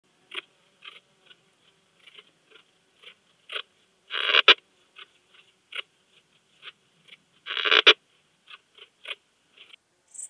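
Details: Slender bright bush-cricket (Poecilimon gracilis) singing at Hajnzgraben, Austria, on 19 August 2021: scattered soft dry ticks, broken by two loud, swelling rasping syllables about three seconds apart.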